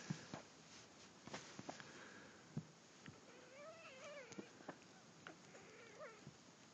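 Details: Female kitten being tickled while held on her back, which she hates, gives short wavering, rising-and-falling mews, a cluster around four seconds and another near six, over soft rustling and handling thumps indoors.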